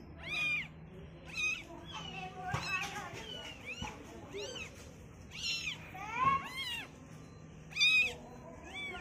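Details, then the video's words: Baby cats on their first look at the world, several kittens mewing in overlapping high, bending cries, some quick and chirpy, others longer, with faint background rustling and a couple of soft thumps. "baby cats first time seeing the world - baby cat Meowing"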